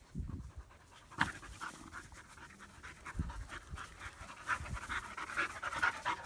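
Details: Two German Shepherd puppies in Florida, a female born 8-3-16 and her half-brother Psycho born 5-2-16, playing together for the first time; quick breathy panting bursts, about two per second, with scuffling thumps.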